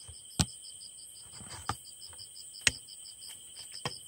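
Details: A yeochi-baejjangi katydid, collected on Geoje Island, Korea, on a summer trip, sings a steady high hiss laced with rapid, evenly spaced ticking pulses.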